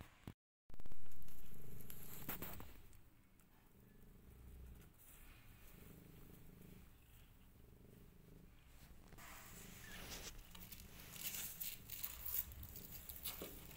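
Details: Rescued mother cat with her five kittens, a steady low rumbling purr running continuously under soft background noise, following a sharp thump at the start, with some rustling toward the end.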